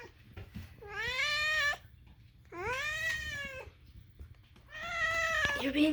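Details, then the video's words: Indoor domestic cat giving three long, loud meows, each rising then levelling and falling, about a second long and spaced roughly two seconds apart, in a quiet room with faint background clicks. "Moo, why do you make such strange sounds?"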